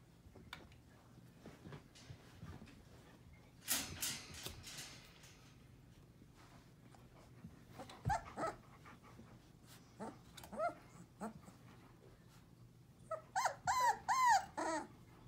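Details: Four-week-old Portuguese Water Dog puppies indoors, giving scattered short yips and whimpers, with a run of rapid high squeaky yelps near the end over a low steady hum.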